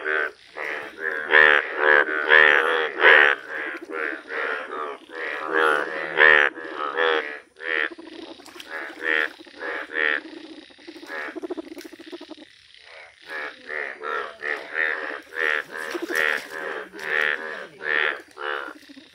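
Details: Indian bullfrog, a rare yellow frog, calling at length: a long sequence of rapid, moo-like, nasal croaks, about 90 per minute, that thins briefly midway and then builds into a dense chorus again.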